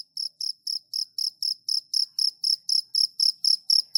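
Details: Cricket starting after a brief silence, then a clean series of sharp, high-pitched chirps repeated about four times a second, very regular, with no other sounds.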